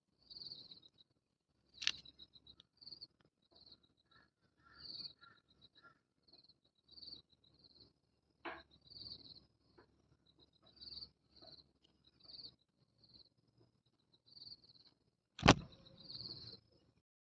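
A cicada gives short, high, buzzy chirps in quick bursts, repeated steadily over a low background rumble.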